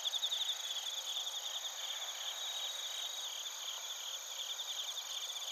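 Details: Crickets and bell crickets heard in Narita, Chiba Prefecture, Japan, via TASCAM Portacapture X8; a soft uninterrupted wall of high-pitched chirping trills from numerous insects, slightly louder at the very start.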